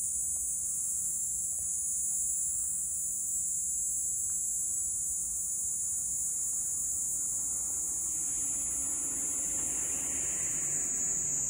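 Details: Platypleura kaempferi cicada on the Kanto plains of Japan, 10 July 2021, singing a continuous high, dense buzzing drone that holds steady throughout with a fainter lower rustle near the end.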